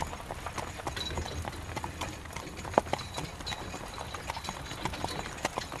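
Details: Carriage horse walking in rain, hooves giving a regular clip-clop pattern of crisp taps, one especially sharp knock midway, beneath steady hissing rain and rolling carriage noise.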